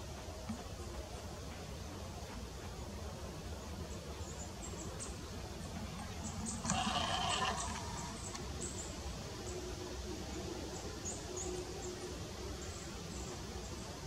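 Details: Early-morning field recording from the 2022 roe deer rut, with mating and bucks: one drawn-out, rough bleat of about a second and a half rises from steady background hiss. Scattered thin, high chirps sound around it.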